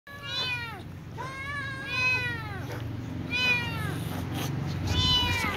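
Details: Little ginger cat and young white cat meowing before eating, with other cats around. Four drawn-out, harmonically rich meows, each rising then sagging, about a second apart, the last two shorter and higher, over a steady low rumble.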